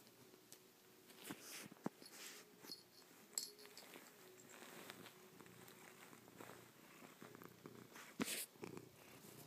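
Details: Chloe, a pet cat, lies on her owner's back indoors after a night asleep there, kissing, pawing and licking the owner's face. A soft low purr runs beneath frequent close clicks, smacks and rustling contact noises.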